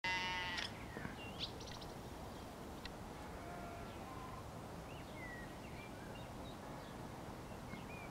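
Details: Sheep, a mother with her lamb, spotted at Gaarweg in Hellevoetsluis: one short, harsh, richly layered bleat opens, then steady wind rumble fills the rest, with a few thin bird whistles and chirps scattered through.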